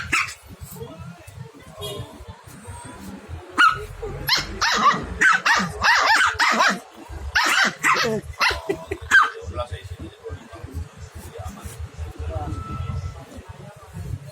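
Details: A village dog puppy and a small dog in a barking contest, trading sharp, irregular bursts of barks clustered in the middle seconds, with people talking over and between them.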